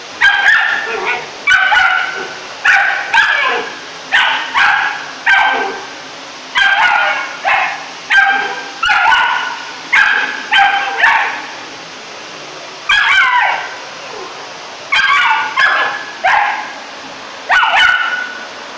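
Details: Three-month-old Rough Collie puppy barking at a hated vacuum cleaner: bursts of sharp, high yappy barks in quick clusters of two to four, about twenty across the stretch, separated by brief pauses, indoors.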